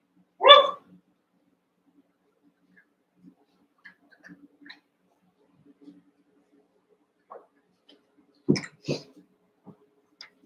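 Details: Cavalier King Charles Spaniel puppies, Daisy's six merged with Robin's two pups indoors; one short sharp bark opens, then quiet shuffling and two low yelps near the end.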